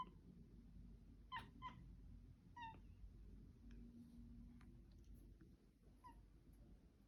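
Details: Mila the cat giving weird noises: a quick pair of clipped, chattering chirps, then another single chirp a second later, followed by fainter squeaks over a steady low indoor background hum.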